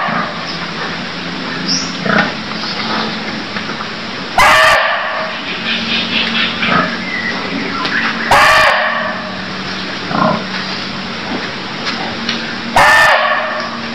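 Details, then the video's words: Barking deer from Cambodia giving three sharp, shrill, bark-like calls several seconds apart, over a noisy background with a low steady hum and scattered faint animal chirps. "Cambodia Sound Deer Calls || សម្លេងសត្វឈ្លូសស្រែក"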